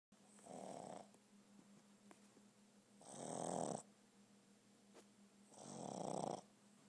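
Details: Boston terrier snoring while asleep: soft rasping snores about every two and a half seconds, each a rough hiss lasting under a second, over a faint steady hum.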